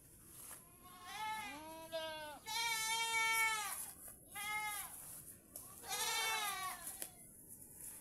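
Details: Tethered farm goats in the Philippines calling repeatedly: four separate wavering bleats, each about a second long and richly harmonic, separated by short pauses, over a steady faint high hiss.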